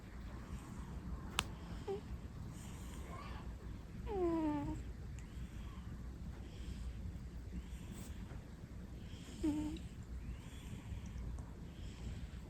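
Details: Leo, a pet cat sleeping with its eyes open, snores: soft breathy rasps return every two to three seconds, broken by a few short squeaky whistled notes, all over a steady low room hum.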